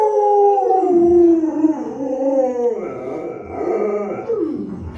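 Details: A pet Alaskan Malamute named Luoluo responding to its sick owner with a series of talkative, wobbling woo-woo howls that bend up and down in pitch, slightly rough at times.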